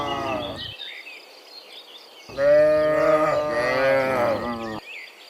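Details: Dozens of cows coming back from the field to their pen in the morning; a brief low moo, then a long, loud, wavering moo lasting over two seconds, with small bird chirps faintly audible overhead.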